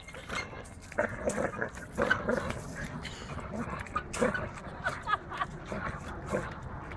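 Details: A dog attacking a swing, giving short rough barks and snarling growls in irregular bursts roughly every second, with a steady rustling, scuffling background throughout.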